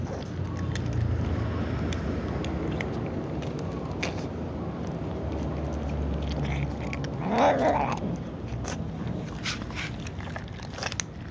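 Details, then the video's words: Little cat meowing before eating alongside other cats; one short, loud, harmonic meow rises late in the clip over a steady low hum and scattered clicking, chewing-like noises. "little cat meows while the tom cat also sneezes before eating with other cats"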